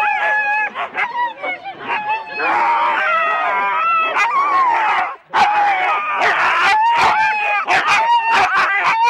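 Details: Many Huskies harnessed in four-dog sled teams at Rendlesham in January 2016, yelping together at the start. Shrill, rising and falling cries pile on top of each other, dipping briefly into near silence midway before surging again.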